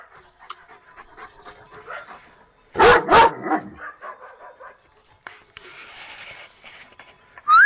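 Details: Domestic dog letting out two quick, loud barks in the middle of a low, murmuring background of softer sounds.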